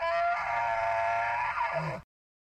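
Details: Elk bellowing in a forest: a loud, steady squealing tone rich in overtones, held for about two seconds and closing with a short lower grunt before abrupt silence.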